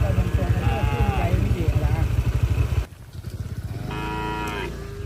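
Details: Herd of cattle roaming along a road: two drawn-out moos, one early and one near the end, over the steady low throb of a passing motorcycle engine, which cuts out briefly midway.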